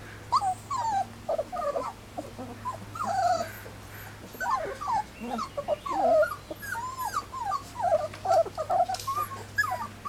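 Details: Litter of three-week-old Standard Poodle puppies on their first day outside whimper and squeal continuously, bent rising-falling whines from several pups crowding together, with an even low background hum.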